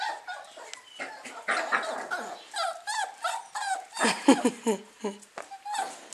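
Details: Eight-week-old Lakeland Terrier puppies waking up in June 2014, eager to get out: a busy stream of short high squeaks, whines and yelps overlapping one another, with a person talking softly in Dutch between them.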